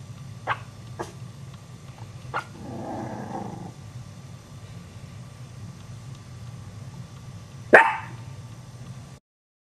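Chihuahua puppies give a few thin, high yips, ending in one sharper bark.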